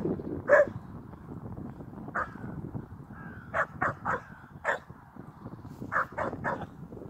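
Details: Two young Old English Sheepdogs, twins, playing together. Short, sharp yelping barks come in scattered bursts, about nine over seven seconds, with some quick double and triple barks over low rumbling background noise.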